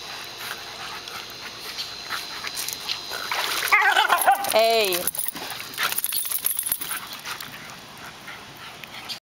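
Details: Excited dog at a pool while Maverick, a jack russell terrier, plays fetch in the water, with a white shepherd, border collie and weimaraner watching. One wavering, high whining yelp lasting about a second, over splashing water noise and a brief human voice.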